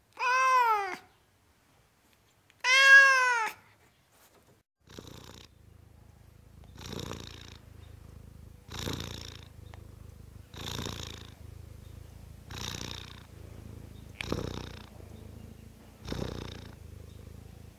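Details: Domestic cat gives two short rising-falling meows, then settles into a rhythmic purr with breathy pulses roughly every two seconds.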